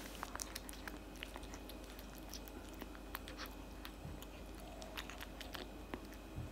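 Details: Quiet, dense crackle of a cat munching cat food in a small room, crisp bites and tongue clicks repeating irregularly against low background rumble.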